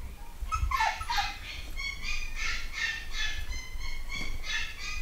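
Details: Nine-week-old Malshi puppies from a new UK litter give rapid, high-pitched yelping cries, many pups calling over one another in quick pulses with a low rumble of movement underneath.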